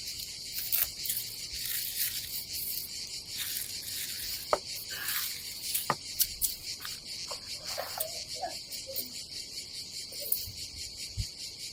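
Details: A continuous shrill drone of cicadas fills a summer day at an Adriatic campsite in Croatia. Scattered light taps and rustles sound faintly underneath.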